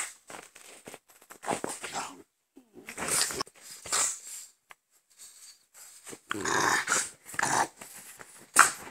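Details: Two French Bulldogs, father and son, growl and snort in short, breathy bursts, some rough and raspy.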